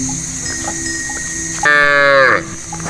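A goat gives one nasal, wavering bleat lasting under a second that drops in pitch at the end, over a soft steady musical hum.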